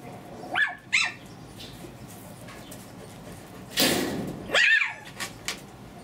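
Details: Pomeranian puppies aged two months give a pair of sharp, high-pitched yaps, then a loud rustle, another squeaky yap and a couple of faint small sounds.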